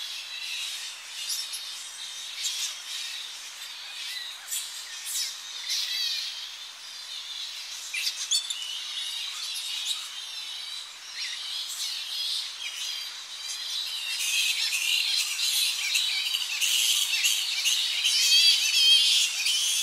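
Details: Many Tonga flying foxes squabbling as the colony returns to coastal roosting trees in early morning; rapid clicking squeaks and shrill chatter pour out nonstop, growing louder and denser toward the end.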